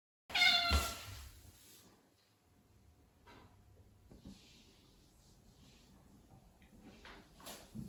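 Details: Ragdoll cat named Lily gives one short, clear meow with bright stacked harmonics near the start, then falls quiet. Only faint room noise and a soft rustle follow.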